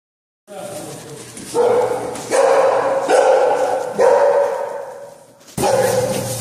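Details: Dog barking during bite sleeve training, one of two owned dogs, an XL American Bully male and an American Bulldog hybrid female; a run of loud, tonal, drawn-out barks about a second apart, with a short pause before a final bark.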